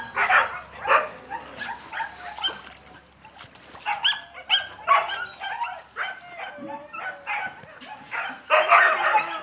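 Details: Yakutian Laika puppies yapping in quick bursts of high, harmonic yips, clustered in runs with short pauses between them, with squeaky whines and a louder burst at the end.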